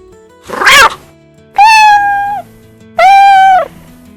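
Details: Cat. Two long, even meows from a domestic cat, each lasting under a second and slightly falling at the close. A short noisy burst comes first, and soft background music runs underneath.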